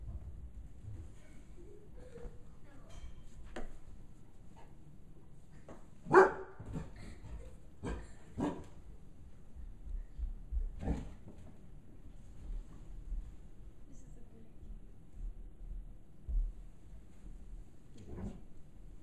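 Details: Five-month-old bloodhound puppy indoors, frightened by a gorilla puppet, gives one loud, sharp bark midway, then a few softer barks and huffs among quiet stretches with low background rumble and faint rustling.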